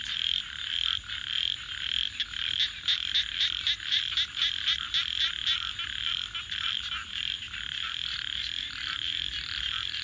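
A dense night chorus of frogs gives rapid, pulsing, mid-pitched trills over soft crackling.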